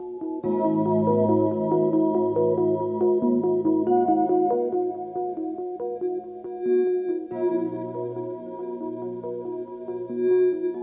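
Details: Synthesizer and piano ambient music with steady repeating notes, no animal sounds heard.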